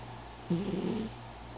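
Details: Pet cat sleeping in an office, giving a single short rough snore of about half a second, low and buzzy, over a steady quiet electrical hum.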